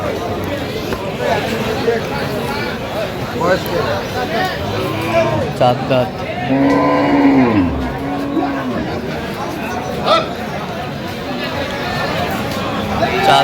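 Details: Cows with calves at Aftabganj market, Dinajpur, on 25 October 2025: one long, low, drawn-out moo swells midway and sags at its end, set against steady crowd chatter and bargaining voices.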